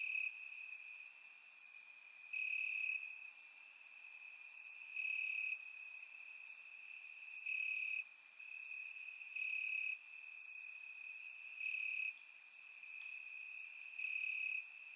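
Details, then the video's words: On a warm summer night in Bulgaria, crickets chirp in the grass: an unbroken high-pitched trill rising in regular loud bursts roughly every one to two seconds, with crisp high clicks punctuating it. "Cricket Sounds - Crickets Chirping at Night"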